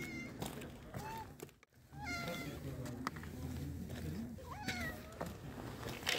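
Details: Homeless black cat and dilute calico cat, strays fed dry cat food outdoors, eating calmly in turn without fighting; several short, rising-then-falling meows come in bursts, with a voice talking softly underneath.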